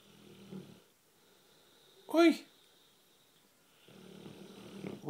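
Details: American Bulldog named Bruno snoring while asleep on a couch indoors: low rumbling snore breaths at the start and end, broken by a sharp harmonic human voice calling its name in the middle.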